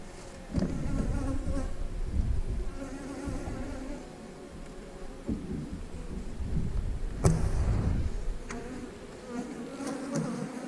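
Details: Droning buzz of honey bees in an 8-frame hive, continuous low humming that swells and fades, broken by a sharp crack near seven seconds and scattered knocks of equipment.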